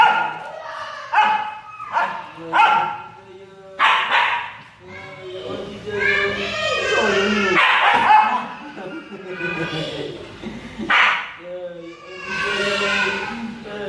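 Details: Jealous Siberian Husky vocalizing: a run of harmonic, bending whines and yowls, some short and rising, others drawn out and wavering, with people's voices mixed in.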